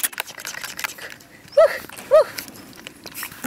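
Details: English Cocker Spaniel puppy named Bonita giving two short, high, arched yips about half a second apart, against soft rustling and handling noise.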